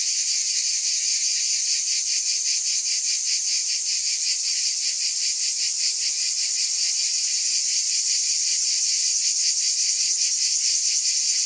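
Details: Cicadas buzzing without a break, a high electric whine with quick pulsing beats, constant in volume from start to end.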